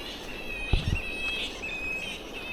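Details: A dense bat colony in trees beside a park near town and the beach, so many that the trees sway, keeps up a constant high, scratchy chatter of squabbling calls.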